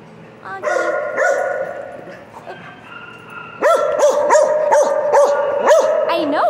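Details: Piper the dog talking a lot, holding a flat, droning, vocal note. A softer pause follows, then a burst of rapid, curved yips rides over the continuing howl-like tone.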